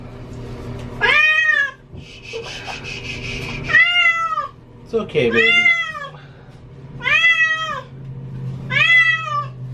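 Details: Cat complaining during a bath, as she dislikes water: loud arched meows spaced every second or two, with a splash of running water early on, a person talking, and a constant low hum.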